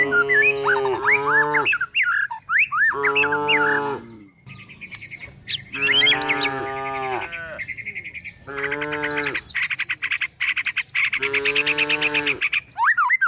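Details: Calves and cows being herded to the forest in search of food; five rich moos, some short and some stretched, alternate with dense, rapidly repeated bird chirps and squawky calls.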